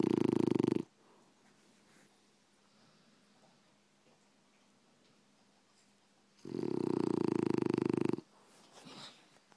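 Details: A sleeping French Bulldog snores indoors. Two loud, harsh, rattling snore breaths come about six seconds apart, the second longer. A quiet gap with faint breathing lies between them.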